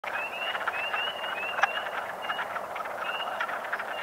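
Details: On 15 April 2022 at a pond in Parc de la Pointe-aux-Prairies, Montreal, a dense spring chorus of wood frogs gives rapid, hoarse, duck-like clucks to attract mates, with sharp spring peeper calls also present.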